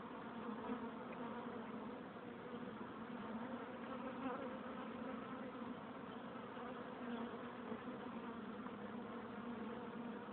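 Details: Many honey bees at a hive entrance producing a constant, even buzzing drone, low-pitched with layered overtones, steady throughout with slight swells in loudness.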